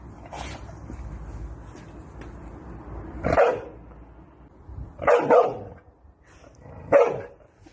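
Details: A Chow Chow dog gives four rough, low-pitched barks a second or two apart, the middle one doubled, quieter and more distant sounding, over faint room noise.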